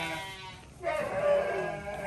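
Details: Goat being hand-fed gives a wavering, nasal bleat that starts after a brief quiet pause and holds for over a second; a person talks quietly beforehand.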